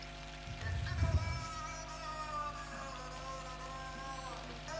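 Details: A beluga whale, claimed to copy human speech, gives low, buzzy, wavering harmonic sounds with the halting rhythm and pattern of human speech, unlike a normal beluga's whistles and clicks; played back in a reverberant room with a brief early thump.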